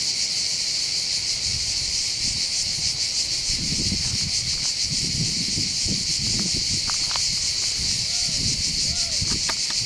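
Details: Cicadas keep up their loud, pulsing high buzz over the port of Bandol, Var, on the Mediterranean coast, while low human voices, a few clicks and brief tonal sounds mix in underneath.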